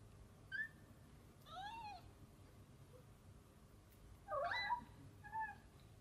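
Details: Mother cat Samel with her tiny kitten daughter Miko; a series of short, high, arching meows, some rising then falling, spaced irregularly over several seconds, with a quiet room hum behind.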